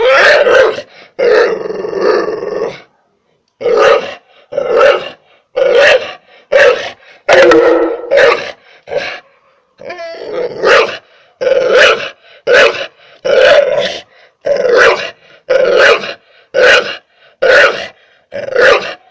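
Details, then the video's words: Pit bull dog barking at a human, a long run of rough, throaty barks repeated roughly once a second, some bursts longer and growling, with one brief pause early on. "El perro que ladra a un humano"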